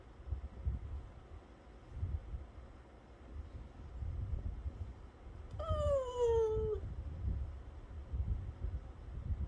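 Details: Pet dog named Bani at home during snack time: one drawn-out whimper arrives near the middle, a tonal whine sliding steadily downward in pitch for about a second, over low rumbling background noise.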